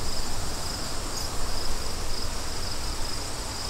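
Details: Gusty wind roars low and loud while crickets keep up a thin, high chirping of short, regular pulses in the background.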